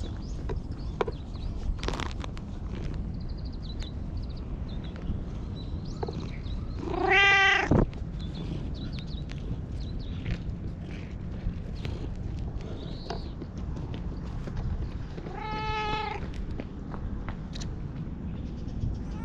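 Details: Jet-black stray cat that followed the filmer and climbed onto a lap, appealing for something in cat language, recorded on a GoPro HERO8: two clear, drawn-out harmonic meows about eight seconds apart over a steady low outdoor rumble.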